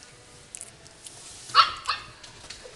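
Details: Long-haired Chihuahua at a pet shop in Himeji, Japan, giving a short pair of high yapping barks about a third of a second apart, standing out against soft background shop noise.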